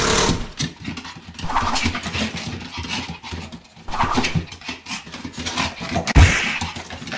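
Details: A Pomeranian 'lecturing' lets out short, sharp barks and grumbling yaps in uneven bursts over a low hum.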